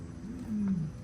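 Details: A lion at a North Carolina big-cat sanctuary gives deep, grunting "oofs", a call prides use to keep in contact over miles, here reinforcing territory after a new group arrived in the sanctuary.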